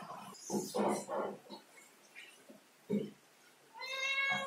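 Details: A cat climbing a ladder gives one clear, tonal meow near the end, rising slightly and held for under a second. It follows a series of soft knocks and thumps from the climbing.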